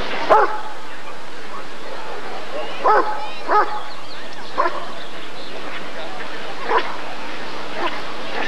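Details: Rottweiler male Janko von der Steineiche during his temperament test at the 1994 ADRK Körung: scattered deep barks, some in quick pairs, spaced irregularly over a humming background.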